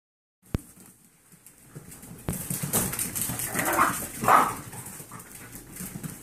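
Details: Ten-week-old Yorkshire terrier foster puppies, indoors and playing wildly after a bath. Two short, soft whimpering yelps come mid-clip over rustling, paw scrabbling and handling noise in a small room.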